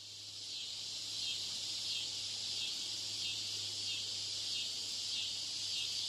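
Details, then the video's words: Cicadas mating, giving a dense, high-pitched electric buzz that holds steady throughout, with faint rhythmic pulsing rippling through the drone. "Cicadas Mating"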